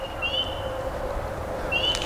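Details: Spring peepers (Pseudacris crucifer) sing from an overgrown stretch of the Union Canal, Pennsylvania, near Lock 35. They give high, clear peeps that slide upward, repeated about every second and a half.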